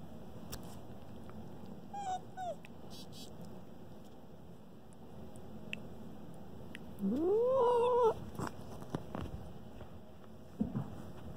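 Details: Asher, a pet Arctic fox, talking to River: one drawn-out whining call that rises, holds and falls, with a short faint whine earlier, over a quiet indoor background with scattered clicks.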